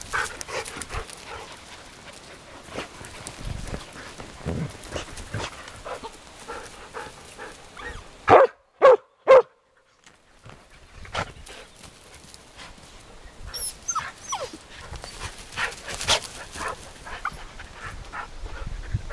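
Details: Arija and Nallo romping with nine-week-old puppies in an exercise yard; a quick run of three loud barks mid-clip, then scattered yips and squeaks amid play noise.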